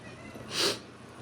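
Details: A male domestic cat gives a single short, bright meow indoors, wanting his owner's attention; the owner calls him needy and demanding.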